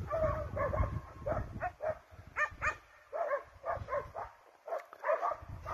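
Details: Scent hounds and Russo-European Laikas in pursuit of a wild boar give sharp, ringing barks about twice a second, with short gaps between volleys and some low background rumble.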